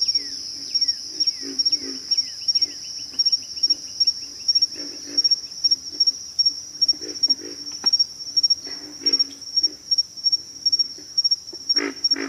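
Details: Pig frogs giving deep, rough grunts in short bursts of two to four, repeated irregularly, under a steady high insect whine; quick descending chirps from another animal in the first three seconds.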